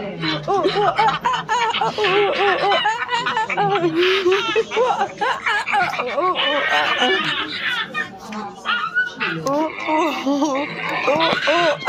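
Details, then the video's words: Silvery gibbons calling in a dense, overlapping series of short arched hoots that rise and fall, rapidly repeated, with a few higher bursts of noisy squealing mixed in. "The Silver gibbons sound effects"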